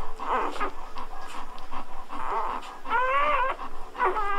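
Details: Newborn Golden Retriever puppies just after birth, thin whining cries with wavering harmonic squeals, a few short rising-falling whimpers in quick succession, indoors.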